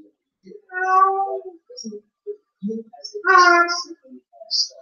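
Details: Blue Point Siamese female cat left alone at home, recorded by a surveillance camera crying after her owner departs. Two loud, harmonic, wailing meows about two seconds apart, separated by soft short chirps and low grunting sounds.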